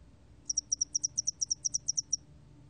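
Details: Spotted-wing hairy cricket, recorded 2020, giving a short train of about fourteen crisp, high-pitched pulses spread over less than two seconds, steady in pitch and loudness.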